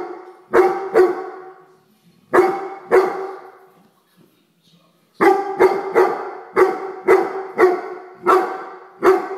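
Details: Weimaraner, a pet dog, scolding a common house fly: loud, sharp barks in spaced pairs at first, then a rapid run of about ten barks, with clean silent gaps between the bursts.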